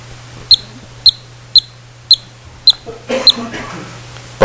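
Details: A yellow-bellied marmot pup, recorded within about nine days of emerging from its burrow, gives a series of short, sharp, high whistles, the normal alarm call pups can produce from the day they emerge.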